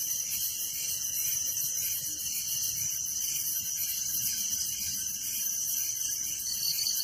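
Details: Village crickets at night form a steady, high, hissing chorus of countless overlapping chirps, with a lower trill pulsing rapidly throughout and no other clear sounds.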